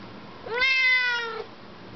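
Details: Siamese cat indoors answering its owner's questions with a single drawn-out meow, about one second long, rising slightly then falling at the end, harmonically rich and tonal; the owner's questioning voice is heard just before and after.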